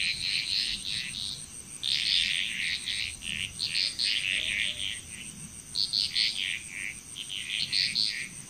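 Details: Frogs calling together in Bali, Indonesia, clusters of short, bright, repeated notes arriving in uneven bursts with brief pauses between, over a constant thin high insect drone.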